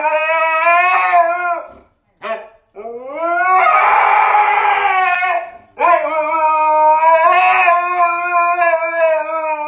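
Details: Pet Siberian Husky howling: loud, drawn-out, harmonically rich cries with rising starts, one long note, a brief break with short yelps, then two more sustained wavering howls, barely pausing between them.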